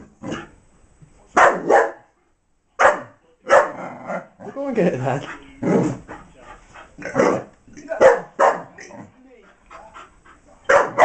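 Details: A female Miniature English Bull Terrier barks while trying to get her hidden toy out of a box: short, sharp, irregular barks in quick bursts, with people talking in the room.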